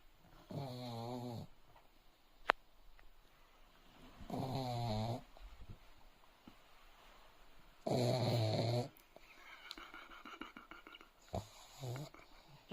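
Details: Sleeping dog snoring indoors: three loud, rasping snores with a throaty, buzzy tone arrive about every three to four seconds, followed by fainter, shorter snuffles near the end, over a quiet room background.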